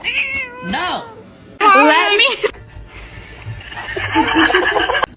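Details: Domestic cat meowing in a funny pet compilation: several drawn-out, wavering meows with rising and falling pitch in the first two and a half seconds, then muffled room noise and faint voices.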